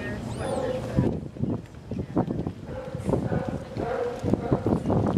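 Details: California sea lions at Santa Cruz Wharf on 26 March 2018, giving a run of hoarse, harmonic barks roughly once a second, mixed with people talking nearby outdoors.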